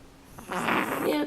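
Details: Lizzie the cat snoring indoors, asleep on her owner's pillow: one breathy, rasping snore that swells quickly, holds, then cuts off, with a faint low hum in a quiet room.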